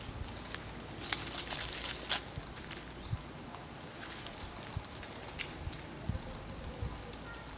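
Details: Marmosets during social interactions: faint, thin high whistles drawn out over the first seconds, then a quick run of sharp, very high chirps near the end, over steady low background hiss.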